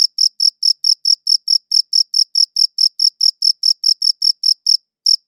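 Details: Sharp, high chirps from a cricket, recorded with a good audio recorder, coming about four per second in a quick regular run, broken by one brief pause before resuming.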